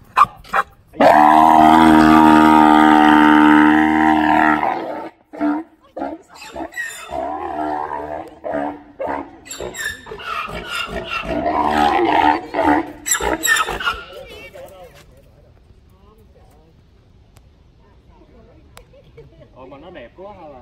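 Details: Male Grévy's zebra calling at Los Angeles Zoo: a loud, drawn-out harmonic wail of about four seconds, then a run of rhythmic, rasping hiccup-like brays, about three a second, fading into quiet.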